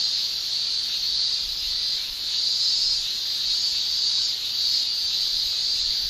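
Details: Cicadas of Japan in summer shrill without pause, a bright high buzzing wall of sound that swells and ebbs in slow undulations, with a brief softer dip partway through.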